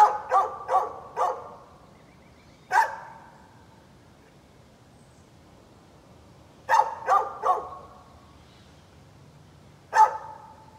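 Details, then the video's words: Recorded 13 November 2020, a neighbor's dog barks in irregular bursts: a quick string of four, a lone bark, several seconds of quiet, another rapid trio, and a final single bark. "Neighbor's barking dog"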